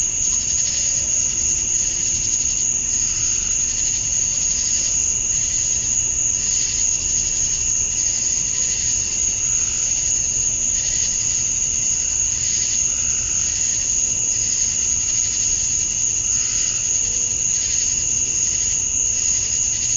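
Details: Male cicadas at summer dusk in Georgia, USA, chirping to attract females: relentless high shrilling drone with gentle pulsing swells roughly every one to two seconds, a faint lower tone appearing briefly near the end.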